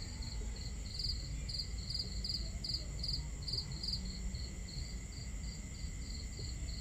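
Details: Night-time crickets trill in evenly spaced high chirps about two and a half per second, a starry camping scene with a crackling campfire and flowing water filling the low background.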